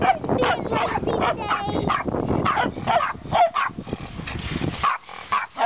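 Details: Moo, a rescued young female dog recovering a leg and hip injured when a calf stepped on her as a puppy, gives rapid dense bursts of barking and yipping, with human voices mixed in and short pauses near the end.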